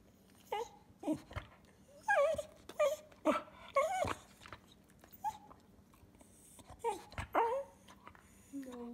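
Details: Pet Cocker Spaniel 'talking' inside a small room: short, scattered whimpers and squeaky yelps that swoop up and down in pitch, coming in quick uneven bursts with brief quiet gaps between.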